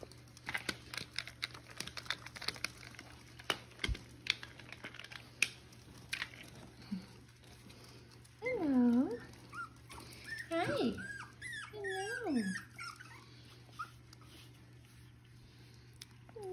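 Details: Six-week-old Miniature Schnauzer puppies playing with their mother indoors in Mission, British Columbia, give a few short arched whines and squeaky yips midway through, amid a woman's soft talking, rustling and crinkling.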